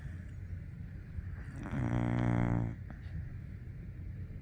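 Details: One long, low, rattling snore from a sleeping Golden Retriever puppy, rising out of soft breathing and fading back to quiet.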